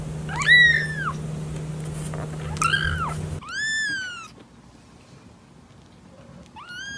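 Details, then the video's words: Domestic cat meowing in a short, cute compilation: several clear harmonic meows, each rising then falling, at about 0.5, 2.6, 3.5 and 6.7 seconds, over a steady low hum in the first half. "Vidio kucing mengeong lucu"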